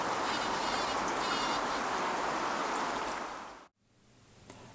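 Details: A buff-tailed bumblebee on a rambling rose in a UK garden gives a loud, steady, rasping buzz, not a flight sound, while vibrating the flower to shake out pollen (buzz pollination).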